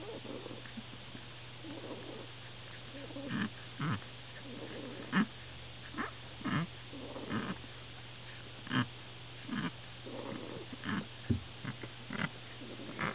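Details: Very young Lhasa Apso puppies, recorded on 29 December 2008, give soft irregular grunts and short squeaky whimpers, some with a bending pitch, over a steady low electrical hum and faint rustling.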